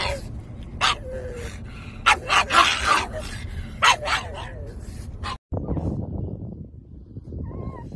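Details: Pug puppies yelping in short, sharp bursts, a cluster of quick yips with a thin, high whine trailing near the end, people talking over the noise.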